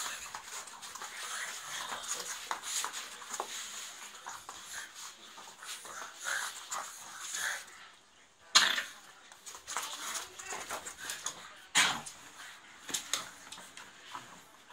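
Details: Playful fight between pugs indoors: wheezy snorts, grunts and quick panting huffs in uneven clusters, broken by two sharp loud knocks or thumps partway through.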